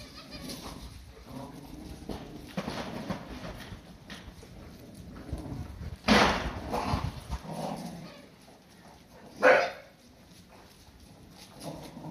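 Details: Cardigan Welsh Corgi puppies playing with a dog toy from a 100-yen shop; two sharp, loud barks stand out among softer scuffling and low voices, one near the middle and one later.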